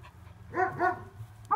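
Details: Samoyed dogs recorded on 26.06.23: two short, hoarse, harmonic barks in quick succession about a quarter second apart, over a steady low hum.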